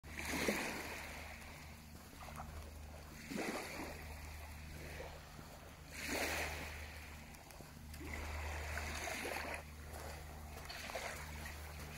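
Waves wash and splash every few seconds over a steady low engine-like hum, with no clear animal calls.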